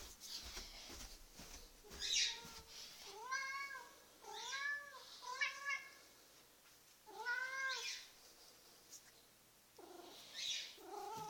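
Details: Domestic cat vocalising at feeding time, its so-called bark: a run of five or six arched, harmonic meows a second or so apart, each rising and falling, with room noise between calls.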